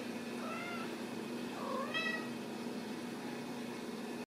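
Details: Young Ragdoll kittens from a home cattery in central Kansas, raised without cages; two brief squeaky meows, the second rising sharply and bright, over a constant low room hum.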